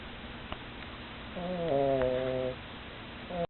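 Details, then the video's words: Female pug snoring, tired after playing: one soft, tonal, wheezy snore lasting about a second, with a faint click before it and quiet room hiss around it. "Snoring of the pug（パグのいびき）"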